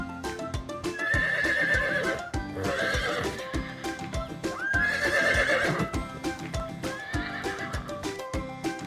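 A horse neighs in shrill, quavering whinnies over background music and hoof clip-clops.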